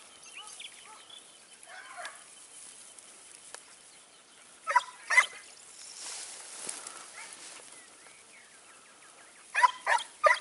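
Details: Segugio Italiano hound recorded near Sofiko, Evros, on 29 May 2019; distant harmonic bays in short bursts of two or three, separated by long quiet spells with faint background chatter of calls.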